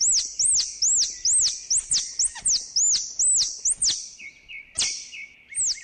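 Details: Squirrel calling with a rapid series of high, arched chirps, about two to three per second, steady for four seconds. Softer, lower chirps follow toward the end.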